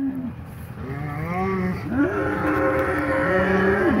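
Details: Two polled Hereford bulls fighting in a pasture while being mixed back together after the breeding season. Overlapping drawn-out bellows bend up and down in pitch, with a deeper moan sliding upward midway, over a steady low hum.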